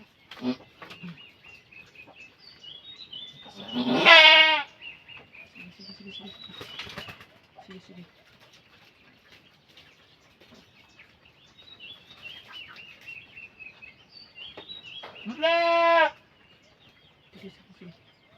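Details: Bleating of a goat during birth: one loud, rough, trembling cry early, quieter rustling and chirping birds in between, and another drawn-out bleat about eleven seconds later.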